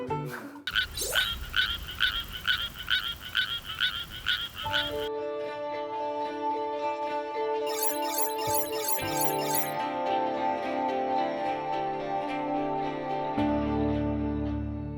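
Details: An endangered Suweon treefrog in a rice paddy sings a quick series of bright, slightly metallic rasping notes, about two per second for several seconds, before soft instrumental music takes over.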